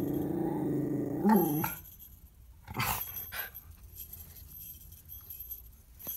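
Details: A female Miniature Schnauzer in a reindeer costume, posing for a Christmas photo, gives a low, throaty grumble with a brief rising whine, warning about joggers passing outside; she is a watchdog.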